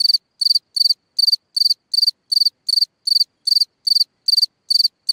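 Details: Night chirping of a cricket in a hole in the ground, each chirp a quick cluster of three or four pulses, repeated a little over twice per second against complete quiet.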